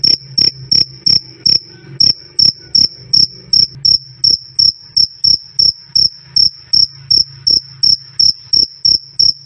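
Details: Cricket, described as loud and clear "krik krik", offered as master sound for training songbirds: sharp, pure high chirps repeated about three times per second in a steady pulse, over a faint low hum.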